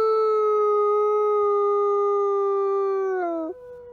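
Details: A captive-born Canadian/Rocky Mountain gray wolf at a wolf conservation centre in South Salem, New York, recorded close up, gives a long, steady howl that slowly falls in pitch and then breaks lower at the end.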